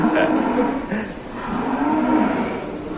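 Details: Working plough cow misbehaving as the rounds go on in Indonesia: a sustained low moo with even tonal bands runs through most of the moment, while people's voices and general noise fill the background.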